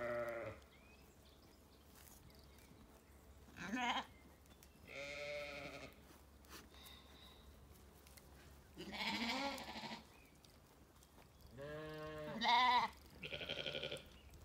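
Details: Curious lambs and ewes in an orchard on a sunny day, County Kilkenny, Ireland; scattered bleats across fifteen seconds, some short and rising, others longer and tremulous, separated by quiet gaps with faint birdsong.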